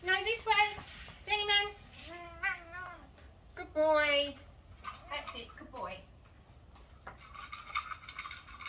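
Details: Rescue cat with a head tilt and anxiety, kept in a catio and learning agility; a series of long, wavering meows with clear harmonics, several drawn out and falling, followed by softer rustling and faint speech.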